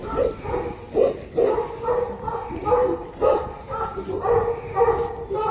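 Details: Tibetan Mastiff barking in a steady series, about two deep barks per second with bright harmonics, some fainter yips between them and a little background talk.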